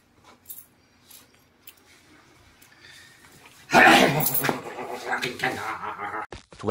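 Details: Siamese cats wrestling noisily together; after a few seconds of faint clicks and quiet, a loud, harmonic, wavering yowl-growl bursts in and carries on for about three seconds before a short break and a final sharp sound.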